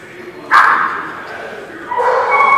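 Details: Dog barking, two loud harsh barks about one and a half seconds apart, each with a drawn-out ringing tail, in a reverberant space.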